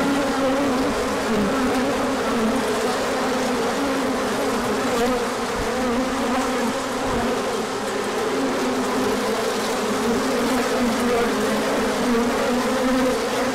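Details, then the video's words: Honeybees on a large orientation flight, 24 March 2024, flying out as the sun came out after colder weather, pollen coming in: a dense, steady buzzing hum from many bees with shifting overlapping tones, continuous throughout. "Large Orientation Flight."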